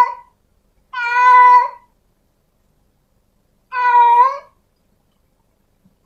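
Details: Calling female domestic cat seeking a male: two long, steady, tonal meows near two seconds apart, with a clipped meow at each edge and silence between.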